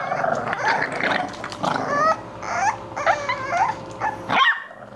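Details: English Bulldog puppies at play, giving short rough growls mixed with high, wavering whimpers and squeaks in irregular bursts, with a brief sharp yelp near the end and a steady low hum beneath.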